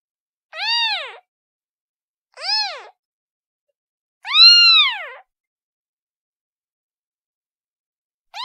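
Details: Domestic cat kitten calling with short arched meows, two quick ones then a louder, longer cry, followed by silence and the start of another meow.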